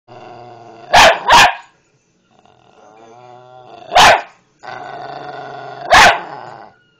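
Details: Patterdale Terrier barking: loud broadband barks at about 1, 1.3, 4 and 6 seconds, with harmonic whining or growling notes between them.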